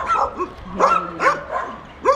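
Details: Leonberger dog recorded in September 2013, giving short, high yelping barks with quick rising-then-falling pitch, about four bursts in two seconds, over a faint low steady hum.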